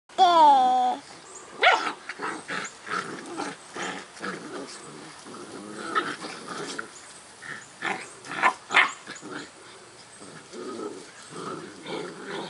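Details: Black Great Dane puppies, eight weeks old, playing among raindrops with a human baby watching, 1 September 2010: an opening high falling whine, then rough, rumbling play growls broken by short yelps and barks, several pups overlapping.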